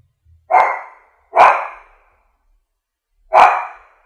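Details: French bulldog giving three full, slightly ringing barks, the first two about a second apart and the third after a longer gap, in a quiet setting.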